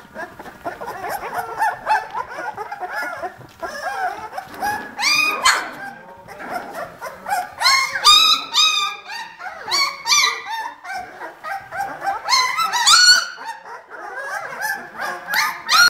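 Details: A litter of 18-day-old Vizsla puppies from the Ariadnina nit kennel, litter "B". High, wavering whimpers and yelps overlap continuously as several pups call at once, with bursts of louder squeals throughout.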